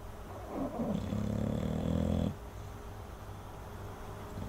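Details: Chopper, an English Bulldog, asleep and snoring: one long rough rumbling breath with low buzzy harmonics lasting over a second, then quiet breathing.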